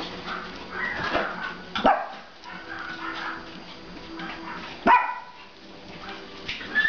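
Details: Pomeranian mother with her puppies of about one and a half months, litter 23, at play; two abrupt, sharp barks roughly three seconds apart stand out over soft background murmuring and faint steady tones.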